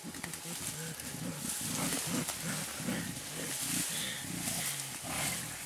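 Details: Mountain gorillas playing in Bukima, Virunga National Park, Congo, in April 2007: a blackback with a two-and-a-half-year-old youngster. Low, rough grunting bursts come in quick rhythmic runs, over steady rustling and broadband hiss.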